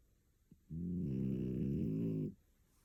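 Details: Picco, a sleeping female French Bulldog aged one year two months, living in Tokyo, gives one long loud snore, a deep rumbling buzz lasting nearly two seconds, then quiet room.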